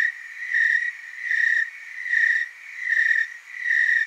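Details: Tree cricket chorus in the Willamette Valley, Oregon, heard as an unbroken high-pitched trill that rises and falls in loudness about every 0.75 seconds, with several insects blending together.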